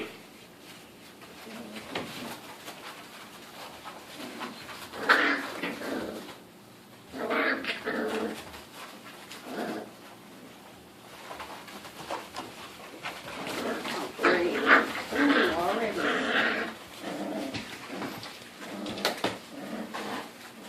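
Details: Five-week-old American Pit Bull Terrier puppies, born January 30th 2014, whimpering and yelping in short bursts at several points, some cries rising and falling, with a person's voice calling out.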